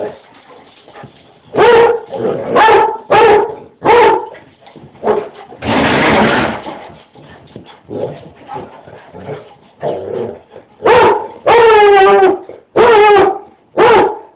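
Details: A pet basset hound, Brad Pitt, bays and barks as it chases a bigger mutt named Bruiser around the house; rapid loud barks with a longer wavering howl-like bay near the end, plus a burst of rustling noise midway.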